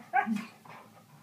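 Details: Siberian Husky dog making a short vocal sound like "noooo", a loud harmonic yelp-like onset falling into a softer drawn-out tail, recorded indoors.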